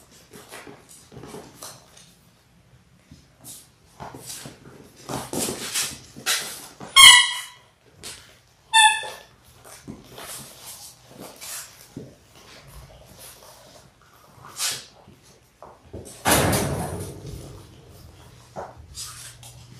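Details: Labrador Retriever litter of six, six weeks old and born January 18, 2022, on a live puppy cam. Mostly quiet with soft snuffles, broken by two clear high-pitched ringing yelps and, later, a rough low growl.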